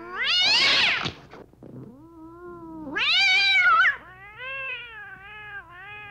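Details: Meowing domestic cat in a sequence meant to attract cats: a loud high meow, a long low level tone, then a rising strained meow followed by a steady drawn-out wavering call.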